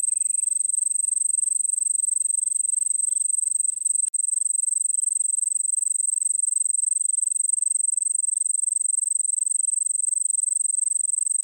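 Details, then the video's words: Crickets from the Nilgiris of India give an unbroken shrill pulsing trill, about three pulses per second, holding one high pitch; a brief click interrupts near the four-second mark. "Sound Of Crickets"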